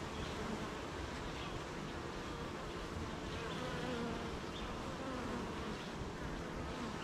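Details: Many honey bees buzzing at their hive on a rainy morning, a continuous low drone with wavering tones as single bees fly by, plus short higher whines scattered through.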